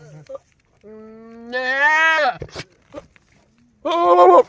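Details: Male goat on a farm bleating: a long, steady, harmonic-rich call that swells louder and wavers toward its end, a short pause with faint clicks, then a second loud, strained bleat cut off at the close.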